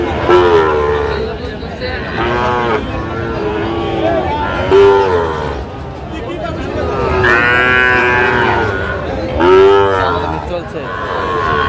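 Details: Sahiwal bull calves for sale at a Comilla cattle market, 19 April 2025: several loud, harmonic bellowing moos rising and falling, some long and strained, spaced a few seconds apart, with people talking in the background.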